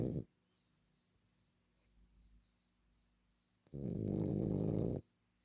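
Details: Milla, a female pet French Bulldog, snoring indoors: one long, loud, raspy snore lasting over a second near the end, after a brief trailing snore at the start and a quiet gap.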